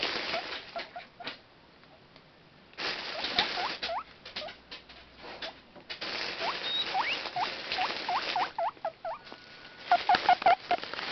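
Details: Guinea pigs wheek in excitement in the morning while their food bag is moved. Short rising squeals come in bursts over loud crinkling rustles, with a brief steady whistle-like tone near the end.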